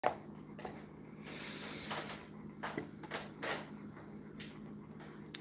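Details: Knocks and bumps like cupboards or doors in a small room over a steady low hum.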